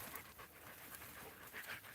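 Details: Dogs climbing all over a man seated on a bench pant steadily in quick, breathy puffs, with faint higher squeaks toward the end.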